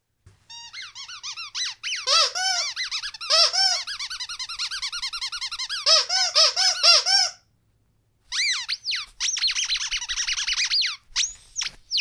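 A Rottweiler gives rapid, high, squeaky whines that rise and fall in quick bursts.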